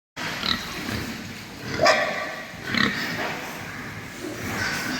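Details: Farm-born, super lean pigs over three months old on a pig farm, making scattered grunts and short squeals every second or so against a steady hissing farm background.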